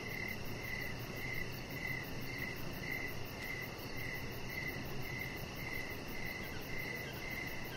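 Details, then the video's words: Crickets chirping in the evening beside a deck where a chihuahua puppy named Rocket lies under decoration lights; steady pulsed chirps about twice a second over a faint constant high trill and low background hum. "Chihuahua Puppy Laying On Deck with Cricket Sounds"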